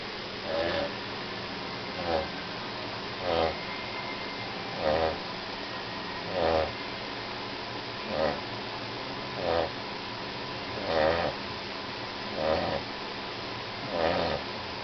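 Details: Sleeping dog named Charlie, overweight and dozing after a walk, snores steadily: soft rasping breaths repeating roughly every one and a half seconds, each a brief low rumble with a faint nasal whistle on top, quiet room noise between.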